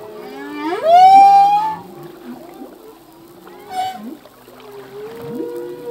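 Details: Humpback whale song from a singing male at sea: a loud upward-gliding wail that levels into a sustained high tone, followed by quieter moans, a short rising squeak near four seconds and soft upsweeps at the end.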